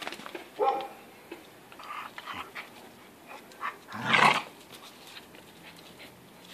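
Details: Two American Staffordshire Bull Terriers, older Boss and five-month-old puppy Rocky, playing rough in a tug of war; a short tonal grumble, then a loud, broad, rasping growl-bark burst near the end, with soft scuffling between.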